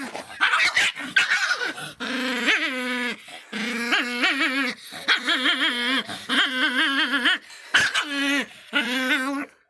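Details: Faísca, an angry little Miniature Pinscher, mixing rapid yips with tonal, wobbling growl-whines, a series of short strained bursts broken by brief pauses, loud and close throughout.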